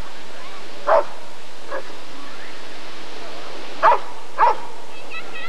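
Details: Rottweiler at the 1994 ADRK Körung breed survey: a few sharp, loud barks, one near the start and a close pair about three seconds later, over a steady low background murmur.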